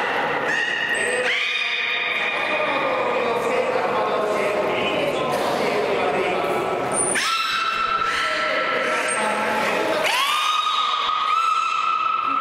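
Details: Beluga whale (Delphinapterus leucas), male Mirai, during public training at an aquarium: long, tonal squeals and whistles from the blowhole, with sudden upward sweeps between steady notes.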